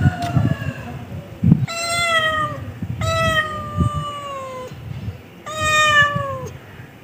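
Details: A cat gives long, clear meows that slide gently downward, each lasting roughly a second or more, three main calls after a shorter faint one, with thumps and low rumbling noise between them.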